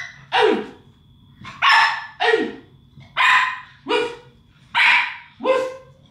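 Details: Two English Staffordshire Bull Terrier puppies at play with toys, one barking: six short, loud, harmonic barks in uneven pairs over about six seconds, with a person's praise just before.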